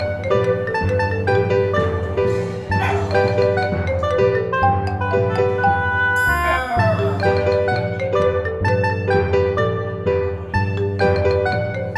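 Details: Plucked string music with steady bass notes and a bright glissando midway plays throughout; no animal sound is present.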